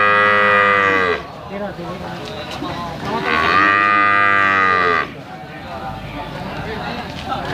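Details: Limousin calves offered for sale: two loud, drawn-out bawling moos, the first about one second long and the second nearly two seconds, rich and harmonic with a slight rise and fall, separated by a quieter gap with background bustle.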